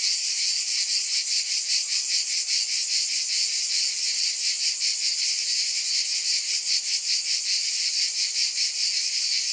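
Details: A shrill cicada chorus forms an unbroken wall of buzzing, its high drone rippling in rapid even beats roughly two and a half per second.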